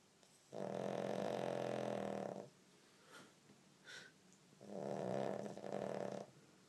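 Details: Pet pug snoring heavily while awake, giving a long two-second rasping snort, then soft sniffs and a brief squeak, followed by a shorter double snort, indoors.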